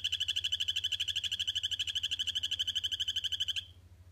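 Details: Male Phyllobates aurotaenia in a vivarium, captive-bred by the Tesoros de Colombia Sustainable Farm project, trilling to claim territory. A fast, even string of high buzzy pulses runs for about three and a half seconds, then stops abruptly, leaving only a faint low hum.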